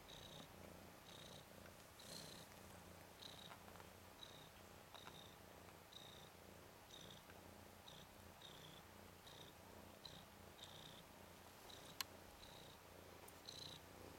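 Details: Ten-day-old red/cream colourpoint Ragdoll kitten Nikita, a tomcat and one of Zaphirra's three male kittens, romping on his back; soft, steady low purring throbs under faint, regularly repeated high squeaky notes.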